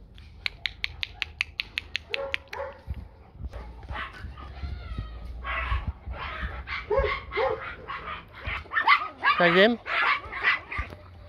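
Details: Blue Great Dane puppy, female, about three months old, from a litter raised for breeding and dog shows; a row of sharp clicks, then short high yelps and whiny barks rising and falling, mixed with people talking.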